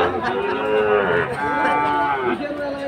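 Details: A Sahiwal bull calf at the Aftabganj market in Dinajpur, Bangladesh, 4 March 2023, gives one long, steady, resonant moo lasting about two seconds over faint background chatter.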